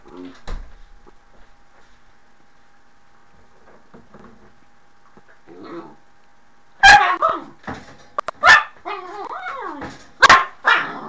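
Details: Mushu, a pet dog, reacting at the door: nearly quiet for six seconds with faint rustles, then sharp loud barks near seven, eight and a half and ten seconds, mixed with rising whiny yelps between them.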